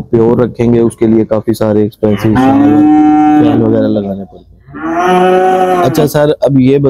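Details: Dairy cattle low on a farm raising milk cows. Drawn-out, harmonic moos swell and fade, with two long bellows in the middle and shorter lows around them. A few sharp knocks are heard between calls.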